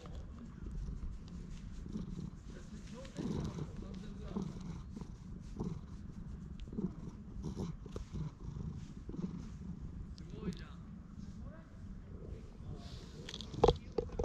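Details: Stray cat in a park purring while being patted and stroked, recorded on a GoPro; a steady low rumbling purr runs throughout with rustling of hands on fur and faint handling noises.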